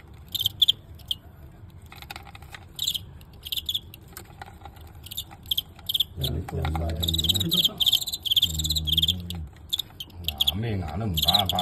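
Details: Crickets in a filmed fight with a star Guangxi fighting cricket: repeated shrill high chirp bursts throughout, irregular and rapid, with a man speaking Cantonese over the second half.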